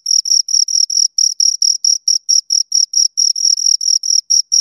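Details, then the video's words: A pair of crickets produces a continuous high, rhythmic chirping, each pulse bright and shrill with a faint upper harmonic, repeated evenly without pause in a quiet setting. "Two Crickets Chirp Sounds"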